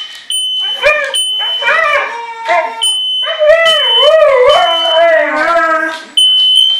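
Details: Pet Siberian Husky and German Shepherd howl in response to a kitchen smoke alarm, short yelping howls building into long wavering, bending howls, with the shrill alarm tone beeping on and off behind them.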